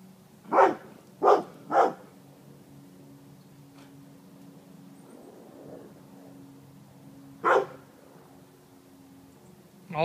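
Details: Female dog with poor eyesight, nose still keen, sniffing around a wood pile and freaking out: three sharp, loud barks in quick succession, a long pause over a steady low hum, then one more bark.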